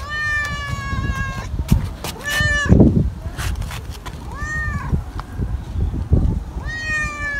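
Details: Stray tabby cat meowing three times in a row, short rising-then-falling cries spaced about two to three seconds apart, with thumps and low outdoor noise in between.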